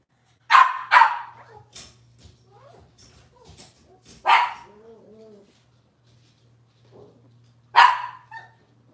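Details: Cavalier King Charles Spaniel puppies from Robin's litter, indoors on a Wednesday morning: four sharp, high yapping barks spread across the stretch, a soft whining murmur between them, and a low steady hum underneath.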